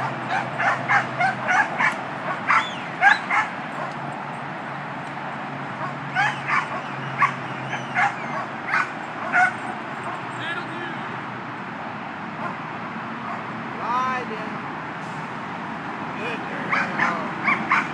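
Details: Skye, a two-year-old female Border Collie, herding during training for her second trial, gives rapid, irregular sharp barks and yips in bursts, with pauses between runs and a wavering whistle near the end.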